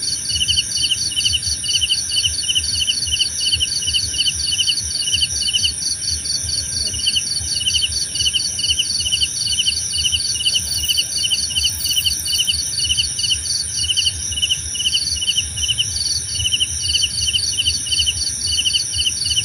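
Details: Crickets chirping in an overlapping chorus: short pulsed chirps repeat steadily beneath a faster, higher beaded trill and a continuous shrill ringing tone, with a faint low rumble underneath.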